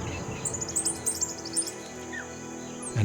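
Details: In the drought-hit African savanna, a sentinel dwarf mongoose gives an alarm call for danger above after spotting a pair of young tawny eagles: a rapid run of sharp, very high chirps over about a second, then fainter cheeps, over soft music.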